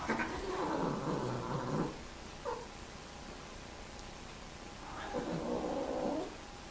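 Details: Cats mating produce two long, wavering, nasal yowls separated by a quiet stretch with a single short cry, each moan harsh and drawn out over more than a second.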